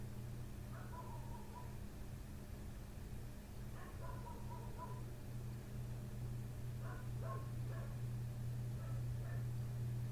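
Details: Late-night barking by the neighbour's dog outside a window, which began at 1:30 am and had not stopped by 3 am; repeated runs of quick barks every few seconds, faint against a continuous low humming background.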